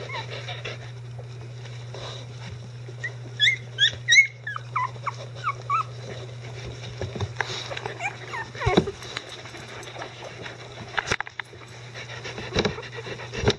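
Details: Icelandic Sheepdog puppies at eleven days old, nursing litter of Gaela, give a short cluster of high squeaks and yelps early on, then quieter shuffling and soft thumps with a faint constant hum.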